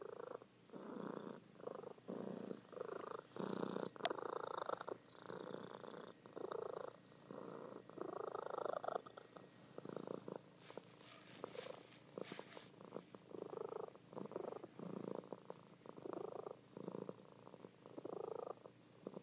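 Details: A sleeping female pet cat purring loudly indoors, enough to wake her owner; steady rhythmic rumbling purr in bursts of roughly a second, pulsing in and out with each breath, no other sounds.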